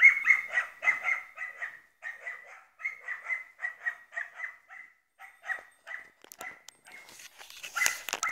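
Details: Croatian Sheepdog giving a fast, continuous run of high, sharp barks at about four per second, growing sparser toward the end, where clattering and rustling noises break in.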